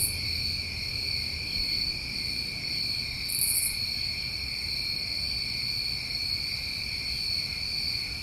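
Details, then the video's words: Summertime crickets in New England, a steady continuous chorus of high trilling bands layered at several pitches, with one brief higher buzzy burst near the middle; no other sounds stand out. "Tinnitus Masking With Crickets"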